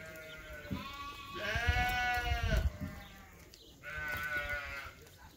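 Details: Excited lamb bleating outdoors after being let outside on a sheep farm: two long wavering bleats with rich harmonics, the first loud and quavering, the second shorter, over low rumbling background noise.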